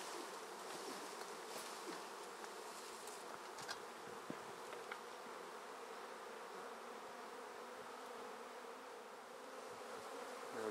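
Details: A swarm of honey bees collected from a tree into a swarm basket gives a loud, unbroken drone of wings, a steady hum with hissy overtones, rising slightly at the very end, a few light knocks heard.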